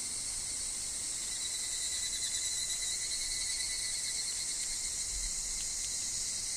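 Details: Higurashi cicadas calling in a grove: sustained high, shrill ringing with gentle wavering, a faint lower whine running underneath, and a brief low rustle near the end.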